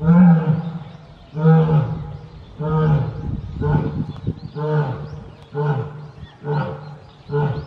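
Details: Captive lion at Tobe Zoo, one of a pair of lion siblings, recorded 14 February 2024, giving a howling roar: a series of deep, rhythmic grunting calls repeated about every second and a half, with a low rumbling undertone.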